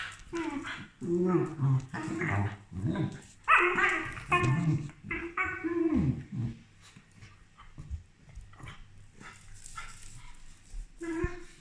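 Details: Two corgis bark in short, harsh bursts at a helper, some barks overlapping, with quieter gaps between.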